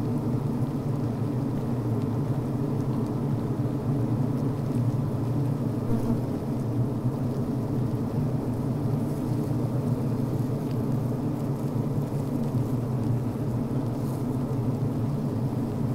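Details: Honey bees inside a healthy hive on the brood frame, recorded within the hive while workers vent, chew and build beeswax comb: a dense, steady low droning hum, even and unbroken throughout.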